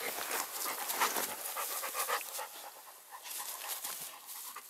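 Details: A female Cane Corso and a Dogo Canario mix in wild play pant in rapid, breathy, irregular puffs, with rustling from their movement.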